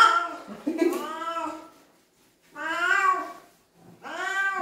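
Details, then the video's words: Cat being washed, letting out three long, moaning meows separated by short pauses. The first cry is rough and wavering, and the last one rises and then drops. "냥빨의 날 | 고양이 목욕 | 수(水) 속성 고양이"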